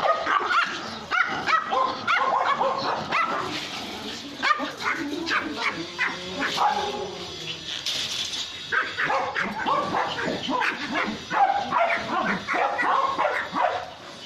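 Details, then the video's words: Pomeranians barking and howling in a compilation: dense, overlapping high-pitched yaps and yips with wavering howl-like notes, nearly continuous over fourteen seconds. "POMERANIAN BARKING - POMERANIAN HOWLING AND BARKING COMPILATION 2016"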